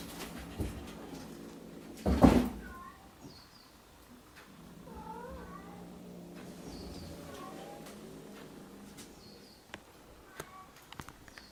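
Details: Rescued kittens on Awaji Island, Japan, in a lively kitten room: several thin, high, short meows scattered through the recording, overlapping at times, with a loud bump and clattering handling noises.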